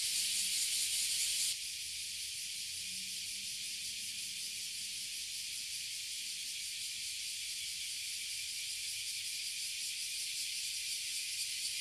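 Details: Oily cicadas and bear cicadas (abura zemi, kuma zemi) swarming a tree in Toyohashi City, Japan: an intense, rasping hiss that drops slightly in loudness after about one and a half seconds, then continues as a rapid pulsing buzz.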